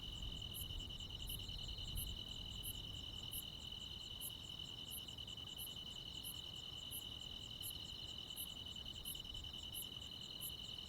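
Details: Crickets and other insects on a summer night in the countryside. An unbroken high trill is topped by crisp, very high chirps pulsing about every 0.7 seconds, with low rumbling background noise strongest in the opening seconds.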